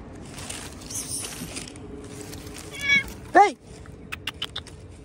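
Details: A cat outdoors near a tree gives one short, clear meow that bends downward, preceded by a fainter mew, with a person speaking Hindi softly before it and scattered clicks and taps afterward.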